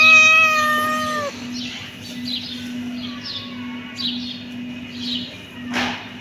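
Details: A kitten gives one long, steady, drawn-out meow, then softer, fainter meows follow. A low electrical-sounding hum runs throughout, with a short crackle near the end.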